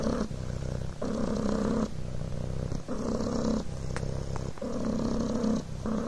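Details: Coco the Devon Rex kitten purrs contentedly on a blanket, a rolling, throaty buzz that rises and falls rhythmically with breathing, pulses lasting close to a second each, with faint rustles between.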